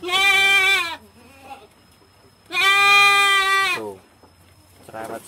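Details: Doe goat in heat wanting to mate, very noisy and restless on a farm: two long, loud, wavering bleats of about a second each, separated by a pause, then the start of a fainter third call.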